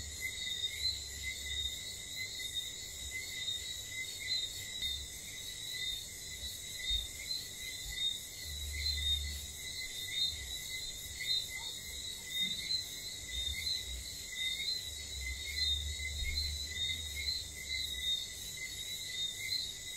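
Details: St. Lucia whistling frogs at night: a chorus of brief two-part whistles recurring roughly every second, layered over continuous high cricket-like buzzing, while gusts of low rumble come and go in the background.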